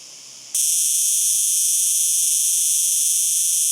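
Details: Cicada song starting abruptly after a quieter moment, then holding as an intense, continuous, shrill buzz with even loudness to the end.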